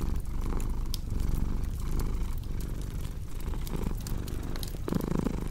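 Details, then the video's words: Cat purring in a deep, soft rumble with gentle breath-timed swells, while a fireplace crackles and pops in the background. "Purring Cat with Cozy Crackling Fireplace Sound"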